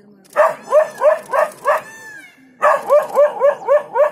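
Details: Surprised dog confronting a leopard at Jhalana, barking it away: two runs of quick, hoarse barks, roughly three a second, with a faint thin whistling tone during the short gap between them.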